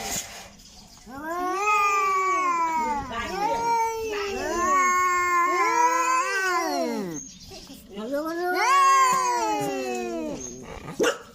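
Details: Cats talking to each other with a run of wavering, overlapping meows and caterwauls, several long calls rising and falling in pitch, a brief pause, then a final loud drawn-out yowl.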